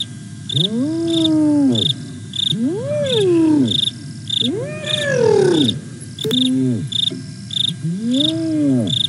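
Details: Whooping contact calls of the hyenas Aggro and Spoon, Sabi Sands Reserve next to Kruger, South Africa, 08 09 2022: bowed rising-falling howls, one ending in a rougher slide, a short clipped note, crickets pulsing throughout.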